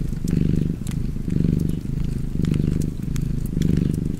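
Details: Cat purring beside a fireplace: a deep, low rumbling purr that swells and fades in about four breath cycles, roughly one per second, with sharp crackles and pops from the fire over it.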